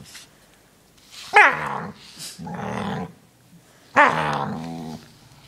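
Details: Pet dog indoors making odd monster-like noises while being brushed: a loud, sharply falling whine-growl, a longer buzzy rumbling growl, then another strong descending harmonic groan, each lasting about a second in a small room.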